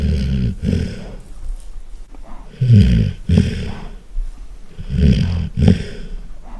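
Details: A sleeping Golden Retriever snores very loudly: deep, rumbling low breaths come in bursts about every two and a half seconds, each with a doubled, rasping pulse, separated by quieter pauses.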